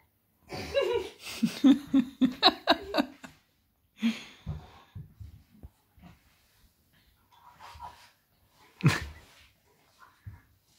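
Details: Lily, a three-year-old Bernese mountain dog, at play with Sweety, a nine-month-old Cavalier King Charles Spaniel; a burst of rough, throaty growls and huffs in the first three seconds, then scattered snorts and a sharp yelp near the end.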